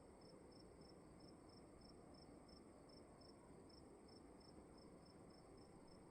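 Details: A cricket chirping in a room at night, its sharp high pulses evenly spaced at roughly three per second with a brief gap midway, heard over a dull, constant low rumble.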